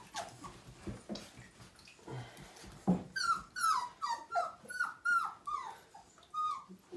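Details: Siberian Husky pup, five weeks old, whining through its first bath in 2017, a litter of nine. After scuffling and splashing, a run of high, downward-sliding whimpers comes roughly twice per second, each brief and tremulous.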